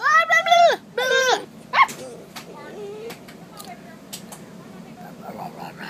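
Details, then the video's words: Dog squealing: two drawn-out, high, arching squeals, then a short sharp one, followed by quieter scattered sounds and faint human voices. "The dog that squeals"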